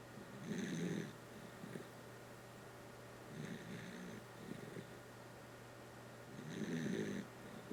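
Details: A Dachshund snores in its sleep inside a room. Raspy inhaled snorts, about three across the stretch, rise and fall with soft breaths between them over a faint constant hum.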